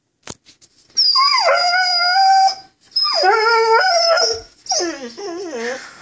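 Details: Vizsla dog, a pet, vocalising on cue as if telling a sad story about missing his fish chew toy: a click, then two long wavering howl-whines, the second bending down and up, ending in short broken yowls.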